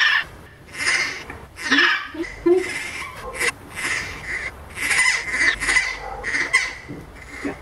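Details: The baby howler monkey Milette, an orphan in rehab, protests her vet treatment. She repeats harsh, squawking squeals in quick succession, with faint human voices in the background.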